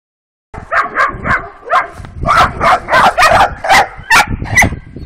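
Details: Working-type Kuvasz puppies, two twelve-week-old females, on their first street walk on 28 April 2017. A rapid run of sharp, high barks and yips about twice a second, uneven in spacing, with steady background noise.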